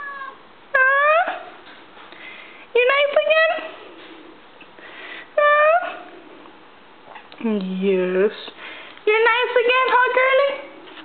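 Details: A pet female cat named Stinky indoors, at ease and being spoken to; several rising then falling meows come in short bursts every few seconds between a person's talk.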